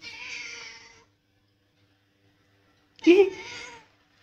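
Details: Hungry house cat left alone while its owners were away, meowing indoors for food: one drawn-out tonal meow, a pause of about two seconds, then a sharper, rising second meow.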